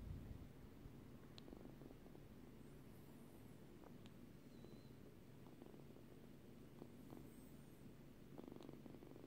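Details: Short-haired Turkish Angora kitten purring: a steady, low continuous rumble lasting throughout, with a few faint clicks and soft high squeaks in the background.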